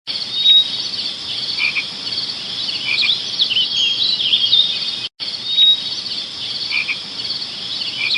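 A dense, high-pitched chorus of chirping insects, steady and shrill with overlapping trills.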